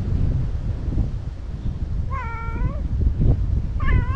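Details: Imouto-chan, a chatty stray cat, gives two clear meows. The first is long and slightly wavering, the second shorter and rising. Low rumbling outdoor noise sits beneath.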